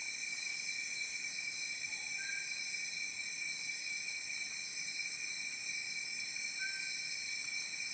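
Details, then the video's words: Field cricket calling at night around 8:30 pm in fields outside a rural homestay in Chopna Bhajipani village, Chhindwara, Madhya Pradesh, the only sound in the silence. Steady high ringing trills layered in continuous bands. "वो जो इंसेक्ट होता है जो खेतों में आवाज़ करता है, झींगा बोलते हैं जिसको, सिर्फ वही आवाज़ है।"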